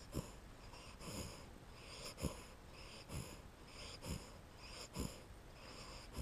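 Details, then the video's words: Two-month-old American Staffordshire Terrier puppy asleep on a lap, dreaming, indoors. It gives short breathy, wheezy whimpers with soft squeaky onsets, roughly once a second and unevenly spaced, in a quiet room. "Dreaming dog"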